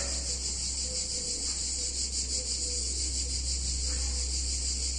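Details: Hot summer day in a picturesque Italian town, cicadas shrilling in a steady high buzz with quick rhythmic pulses, a strong low drone beneath and faint mid-pitched sounds.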